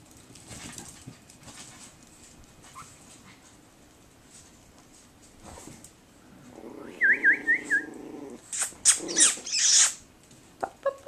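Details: Seven-week-old Chihuahua puppies: after quiet rustling, a wavering high whimper, then a burst of loud, shrill squeals and yelps, ending with a few short squeaks.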